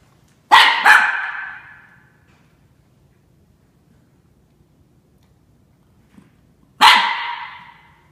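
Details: Norfolk Terrier Ernie, under a year old, confronting Shania the cat: two sharp barks in quick succession, then silence before one more loud bark near the end.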